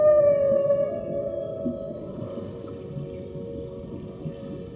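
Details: A whale, possibly a baby whale, gives a long, tonal moaning call that slides slightly downward over low underwater rumble.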